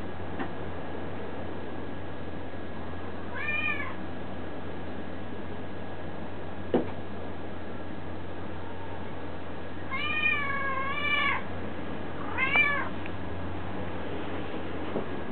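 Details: Pet cats indoors: one brief meow, a sharp click, then two drawn-out wavering meows close together near the end, over a constant low room hum.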